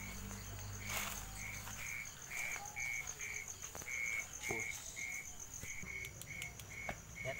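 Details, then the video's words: Crickets calling at night on an outdoor night trip that turned up an owl nest with a young owlet: clear, short high-pitched chirps repeated steadily about twice a second, with a thin constant whine and scattered clicks and rustles. "Oh saya mendengar suara jangkrik nih"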